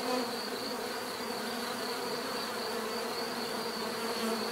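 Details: Bees buzzing steadily in a dense, continuous hum with layered low drones and a thin high whine, no pauses, no other clear sounds.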